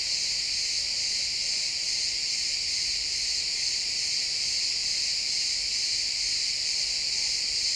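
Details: Sunset chorus of crickets among pines: a constant bright, high-pitched buzzing trill from many insects at once, even in loudness throughout, captured as an XY stereo recording.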